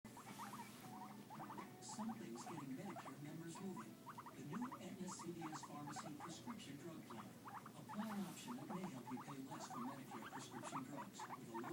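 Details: Two pet guinea pigs, one white and black, the other white and brown, making noise together: rapid runs of short, sharp chirping squeaks, several per second, over a low, bubbling murmur of rumbling purrs.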